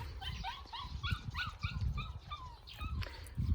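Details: Young puppies at a grandmother's home in Seongsu-ri, Hongcheon County, Gangwon Province, born January 2021 and out enjoying spring; a rapid run of about ten thin, rising whines, each brief and closely spaced, over low rumbling background noise.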